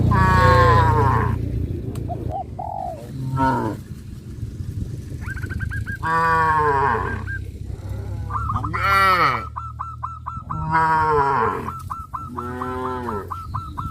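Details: Several cows on a traditional village farm, walking toward green grass fields, moo in long, deep, rising-and-falling calls, with a quick series of high, repeated notes between them.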